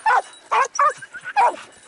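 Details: Hound baying on 6 October 2018 while hunting hare, after morning trailing, a quick flush and the start of the chase: four loud, short yelping barks in two seconds, each rising then breaking off, evenly spaced, with no other sounds.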